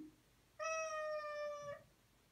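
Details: Domestic cat being toilet trained gives one long, steady, harmonic-rich meow lasting about a second, with a quiet room behind it and Spanish praise spoken just before and after.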